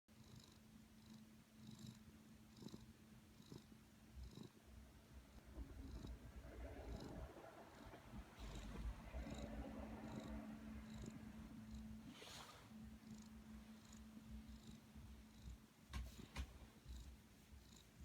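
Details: Black cat snoring, with soft raspy breaths repeating roughly every second over a steady low hum, swelling louder mid-clip before settling back into an even rhythm.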